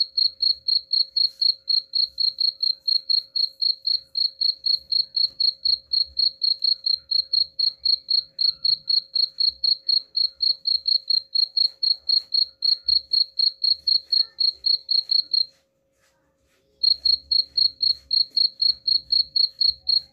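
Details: Cricket chirping meant to scare off rats, a long unbroken run of high, evenly spaced pulses at about four per second, pausing once for over a second before resuming; faint low hum underneath.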